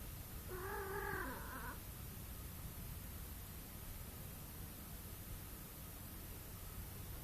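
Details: Domestic cat giving one drawn-out, wavering, slightly nasal meow lasting just over a second near the start, followed by several seconds of steady low background hiss with no further calls.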